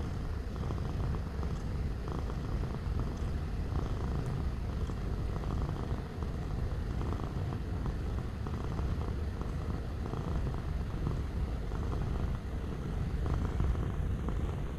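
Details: Domestic cat purring up close. The purr is a loud, continuous, deep rumble made of rapid even pulses, with a steady low hum underneath.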